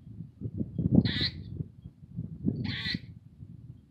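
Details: Black eastern grey squirrel yelling at a cat, two harsh raspy barks about one and a half seconds apart over a bed of low rumbling and handling noise.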